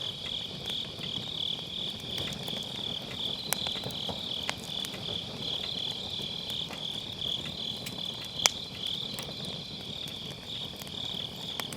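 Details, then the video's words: Grass insects singing on an autumn night next to a campfire in a round fire pit, Sennheiser MKE600 with low cut; a continuous shrill pulsing chirr with occasional crisp crackles of burning wood. "가을밤 풀벌레 소리"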